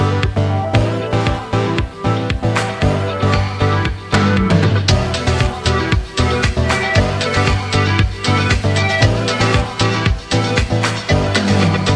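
Upbeat disco-funk music with a steady bass beat fills the whole stretch, with no animal voice heard.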